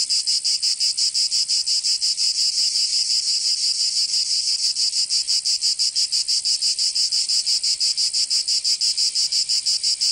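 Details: Provençal cicadas in summer, southern France, producing a loud metallic high buzz with fast, even throbs near three per second, the rhythm holding steady from start to finish with nothing else audible.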